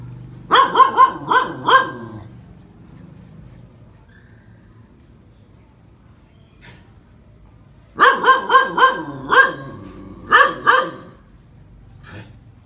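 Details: Phu Quoc Ridgeback dog barking during snake-catching training, two rapid runs of five to seven sharp barks separated by several seconds of near silence, a few faint clicks in the gap.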